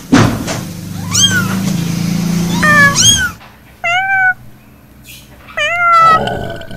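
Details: Cat meowing repeatedly in clear, rising-then-falling tonal cries, about five meows with abrupt cuts between segments and a low hum underneath at the start.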